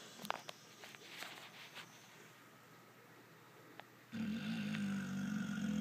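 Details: Sleeping pit bull named Spencer: after four seconds of near silence with small taps and rustles, a deep, rough, droning snore begins and holds steady to the end.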